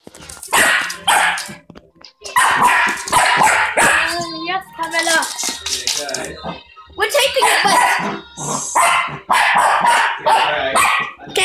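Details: A pet dog barking at a Pokéball it dislikes; sharp broadband barks come in bursts with short gaps, mixed with speech and some background music.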